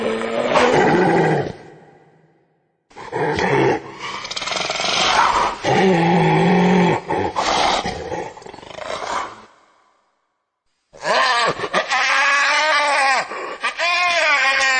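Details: Hyena giving harsh, groaning, growl-like vocalizations in three long bursts separated by short silences; the last burst has a wavering, quavering pitch, almost laughing.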